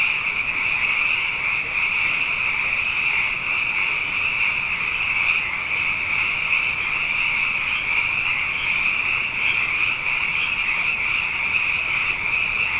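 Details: Nighttime sound bath of plentiful frogs after two wet years running: a thick, uninterrupted chorus of shrill trills holding one steady pitch, layered over softer, lower overlapping croaks.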